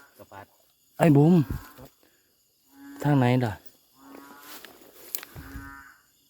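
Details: Narrow-mouthed frogs calling loudly along a creek at night: deep, nasal, bleating moans of about half a second, repeated every two seconds, several callers overlapping, with faint insects in the background.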